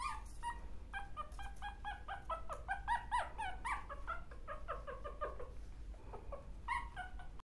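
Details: Chihuahua dogs indoors, offered for sale alongside toy terriers; high, tonal whimpers and yips in quick, uneven series of short notes, some bending up and down, over a steady low background hum.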